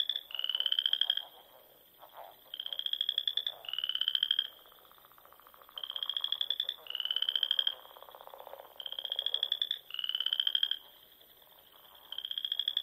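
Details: Springtime frog chorus at dusk from the dune ponds of Nebraska's Sandhills: about nine high, pulsing trills arrive in clusters of two or three, with quiet pauses between the clusters.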